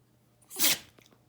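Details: Lusya, a pet Jack Russell Terrier, gives a single sharp, hissing sneeze lasting under half a second indoors, followed by faint small breaths.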